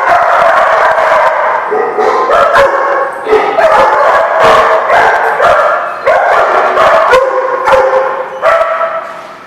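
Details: Crowd of dogs recorded on 16 May 2016 barking continuously, with overlapping high yips and harsher barks forming an unbroken chorus that eases slightly at the end.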